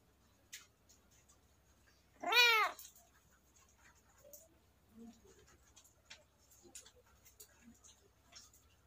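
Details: A kitten gives a single loud, arched harmonic meow lasting about half a second, surrounded by quiet indoor clicks, rustling and faint low murmurs.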